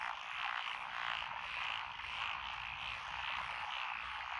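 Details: Massed frogs calling in lotus rice paddies at Echizen, Fukui Prefecture, Japan, June 2021; overlapping croaks pulse in loose waves, nearly two per second, over a constant rasping background.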